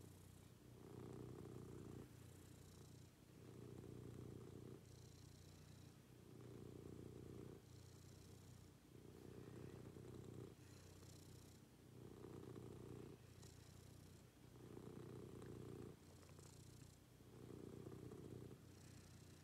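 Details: House cat purring through a morning routine, a low buzzing drone pulsing in even breath cycles about every two and a half seconds, louder rumbles alternating with quieter breathy stretches.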